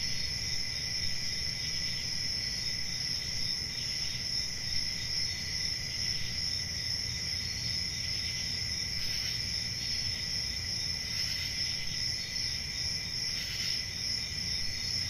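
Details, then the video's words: Steady high-pitched cricket trilling on a peaceful summer night in the country, unbroken and even, with a few faint louder chirp bursts late on and a soft low rumble beneath. "10 Hours Relaxing Cricket Sounds For Sleep | Ambient Summer Night"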